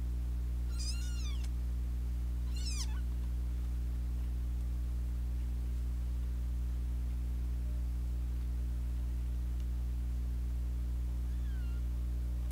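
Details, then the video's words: Two kittens that have fought since their second day, with an older sister cat joining in; two sharp, downward-sliding high meows early on, then fainter cries near the end, over a steady low electrical hum. "Kitten fight"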